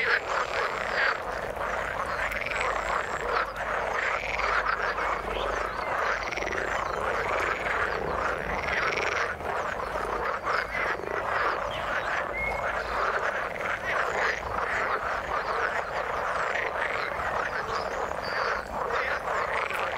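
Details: Chorus of frogs in the water: repeated arched, looping croaks rising and falling in rhythmic bursts about every half second, layered over a constant crackling mass of other callers and brief high whistles.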